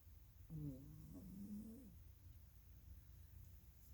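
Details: A female Norwegian Forest Cat catnapping on a rainy Thursday gives one soft, wavering, throaty snore lasting just over a second.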